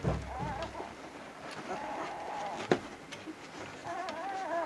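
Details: Brief bursts of wavering, nasal whining from Vizsla puppies of Batai, recorded 10 January 2013, two drawn-out cries separated by a sharp knock and a low murmur.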